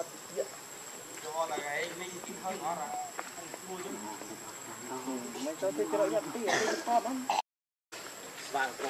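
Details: Baby monkey Leo, hungry, cries loudly begging its mother for milk: nearly continuous wavering, quavering wails that rise and fall in pitch, swelling louder toward the end, with a steady thin high-pitched tone running underneath.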